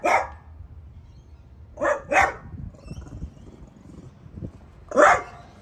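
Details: Piper, a pet French Bulldog, barks at a newly arrived artichoke plant at home: a few loud sharp barks, a quick double bark near the start and another single bark later, with quiet pauses between.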